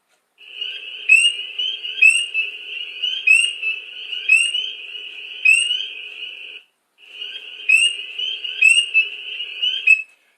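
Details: Spring peeper on Long Island in spring gives loud, piercing high peeps about once a second; the steady high-pitched buzz behind is hundreds of other spring peepers chorusing.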